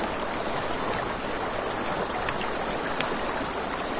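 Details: Crickets singing at night near a river give a piercing, evenly pulsed high trill without pause; scattered crackling from a campfire and a faint steady rush of water sit below it.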